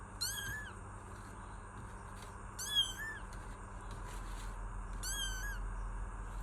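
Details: Kitten making brief high mews with a quick upward-then-down inflection, three calls roughly every two and a half seconds, against a low rumbling background and constant hum.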